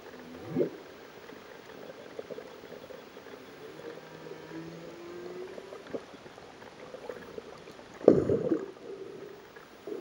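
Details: Humpback whales sing underwater at about 20 m depth off Réunion on 15 September 2009, with low moaning tones, a quick upsweep and long drawn-out notes, during a concert lasting over an hour.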